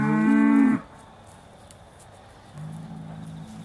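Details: Aussie Red dairy cow at Beaulands, December 2012, mooing before being milked: a single strong, rich moo under a second long, then quiet, then a softer low drawn-out moo.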